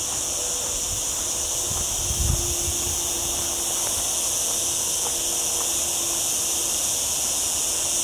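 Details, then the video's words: A cicada chorus keeps a level, piercing hiss in mountain olive groves of lower Sierra Llana by a town, on a clouded-over day in a hot week; a faint low hum and a brief rumble lie beneath. "Olive Trees and Cicada Sounds"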